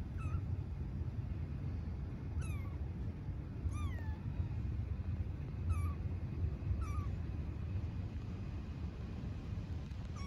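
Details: Stray kitten living on an Istanbul street meowing for its mother cat: five thin, high, falling meows spaced one to two seconds apart over a steady low rumble of distant traffic.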